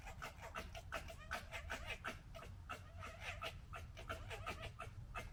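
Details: Fox gekkering while fighting, recorded in 2021: a rapid, harsh chattering of short broadband pulses, nearly three per second and somewhat irregular, over a steady low rumble.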